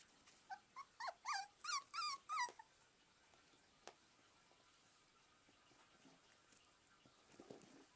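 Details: Jack Russell Terrier puppies, 43 days old, at play: a quick burst of seven high, whiny yips with bright overtones over about two and a half seconds, then near silence with a single click and soft rustling.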